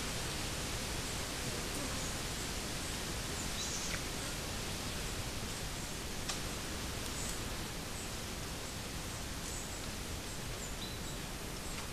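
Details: Steady broadband hiss with faint rustles and clicks, no animal sound heard.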